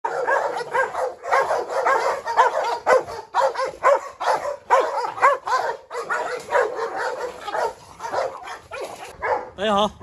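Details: Dogs, a Presa Canario female named Huniu that seems to be in heat, with a Rottweiler and a Staffordshire terrier nearby, in a scuffle. Dense, harmonic barks and yelps come about twice a second without pause, with brief gaps and a human voice mixed in.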